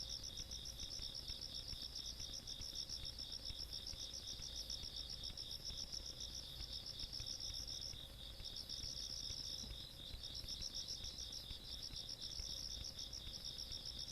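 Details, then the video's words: Rural night insects, recorded 17 August 2022, keep up a continuous high trilling chorus of fast pulses at two pitches; the upper caller drops out briefly around the middle, with soft low background hum throughout. "시골밤 벌레소리"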